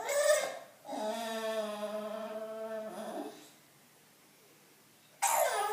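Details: Bulldog craving attention, producing a steady, even-pitched droning moan held for about two seconds after a short opening yelp, followed by quiet and then another burst of noise.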